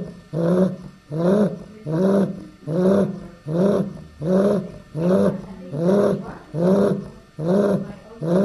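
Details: Chow Chow puppy Dai Lan, a female from the D litter, eight weeks old, snoring steadily: about nine deep, rasping breaths, each a slow rising then falling snort, spaced roughly a second apart in a quiet room.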